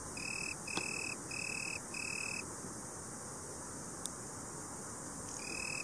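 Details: Italian tree cricket (Oecanthus pellucens) giving four pure, high trilled bursts of about half a second each. It falls silent for roughly three seconds, marked by a couple of sharp clicks, then resumes trilling at the end.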